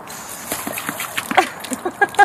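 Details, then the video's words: Leo, a Great Dane mix being dog-sat, plays with a watering hose, giving short yelping barks that grow louder toward the end, mixed with splashing water and a person laughing and saying no. "Dog vs Watering Hose"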